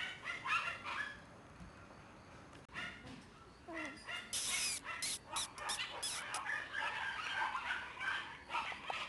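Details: Black Shiba Inu puppy, a female born 11 September 2011 and recorded 12 October 2011 at about one month old, giving short high yips and a thin rising whimper, bursts loose and irregular, with scuffling and clatter between them.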